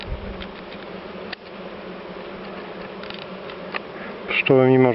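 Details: Dark honey bees described as wild yet very calm, during a top-bar hive inspection in September; a low, even hum of many bees with faint clicks, then a brief musical tone at the end.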